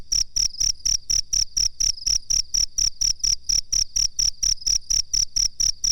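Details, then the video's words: Cricket chirping as a master recording for training birds: steady, high-pitched pulsed chirps repeated about twice per second in an even rhythm, with no other sounds. "suara jangkrik masteran"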